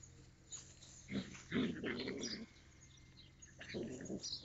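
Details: Yakutian Laika recorded in April 2023 giving low, rough grumbling growl-like vocal bursts, one bout around a second long followed by a pause and a second shorter bout, over steady low background hum.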